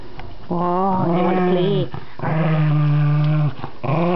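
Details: Pet dog playing with a new toy indoors, voicing long tonal growling moans that hold steady then bend downward, in two main drawn-out phrases with a third starting at the end; a person talks nearby.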